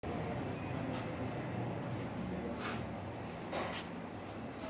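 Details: A cricket chirps steadily at midnight at home, a high, shrill trill pulsing about four times a second.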